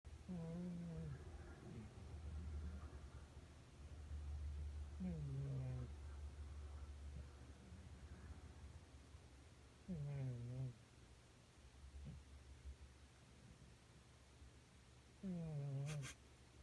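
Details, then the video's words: An elderly cat, about 13 years old, snores while passed out asleep on a bean bag after demanding butt pats all night. Four low, voiced, downward-sliding snores arrive roughly every five seconds over a faint indoor hum. "고양이 코골이"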